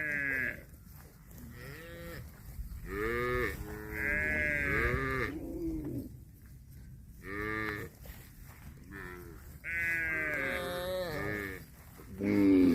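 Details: Cattle, bulls competing over a female cow to mate: a series of short, arching, nasal moo-like calls in overlapping bursts, several in quick succession, then quiet gaps before more calls, with a louder call at the end.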